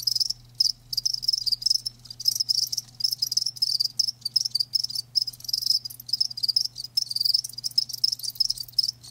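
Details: High, ringing cricket chirps in fast pulsed trains, nearly unbroken with a few short silences, over a faint low electrical-sounding hum.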